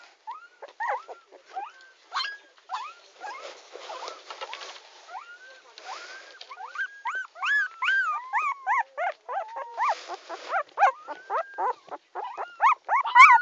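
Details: Puppy named Tommy crying, beginning with sparse thin whines that grow into a dense, quickening series of high, bent whimpers and squeaks, louder toward the end.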